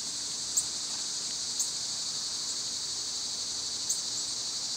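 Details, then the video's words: Loud, close summer cicada song, a steady piercing high buzz with a few short sharp chirps spaced about a second apart. "Birds & Squirrels w/ Cicada sounds"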